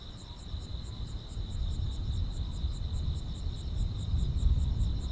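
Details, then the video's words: On a summer night grass insects keep up a constant high buzz, while two layers of quick, uneven high chirps overlap above it; a deep, swelling rumble of distant noise runs underneath. "여름밤의 포근한 풀벌레 소리"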